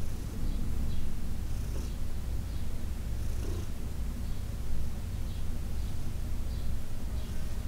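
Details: Massage-time purring from Heidi, a 14-year-old rescued domestic cat, recorded June 17, 2021; quiet, unbroken low rumble with slight pulsing and a few faint touches in the background.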